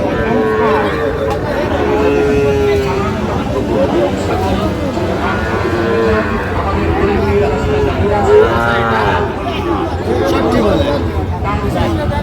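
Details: Sahiwal breed bull at the Raniganj cattle market, with a Barishal farmer buying, 28 November 2024, Bangladesh: long drawn-out lowing moos with steady tones, repeating through the clip over constant crowd chatter and market murmur.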